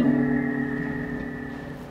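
A minke whale gives a brief, steady, humming tone with a faint fluttering pulse that fades away.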